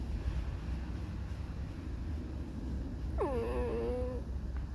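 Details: Alice, a fox, gives a single whining squeak about a second long. It starts high, drops sharply, then holds a wavering tone, part of her mournful, discontented song. Steady low rumbling noise runs underneath.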